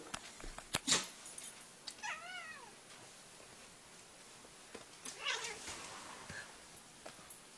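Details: Male cat trying to bite his own tail gives a single short, wavering meow, surrounded by scuffling, tapping and rustling noises.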